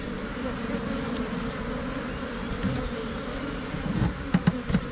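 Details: Swarming Thai cavity bees, Asian honey bees, settling into a new hive box in Thailand: continuous low buzzing drone of a mass of bees, even and unbroken, with a few soft knocks and brief voice fragments at the close.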